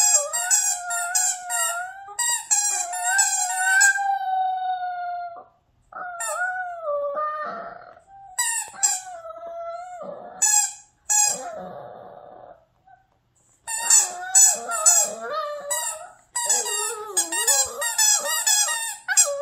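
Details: Gang-i, a pet Maltichon, croons a howling tune to the loudest squeaky toy; drawn-out wavering howls that rise and fall, broken by brief silences and squeaks, in a small room.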